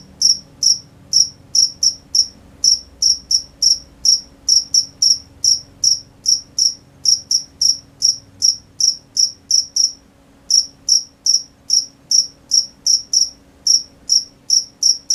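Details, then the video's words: Night-time crickets chirping in a fast, regular train of sharp high pulses, roughly two or three each second, interrupted by a short gap, over a quiet low background hum. "The sound of crickets at night"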